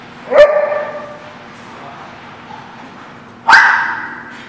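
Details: Dog at The Barking Lot on 1/6/17 gives two single, sharp harmonic barks about three seconds apart, each fading into a short ringing tail, with a faint steady low hum between them.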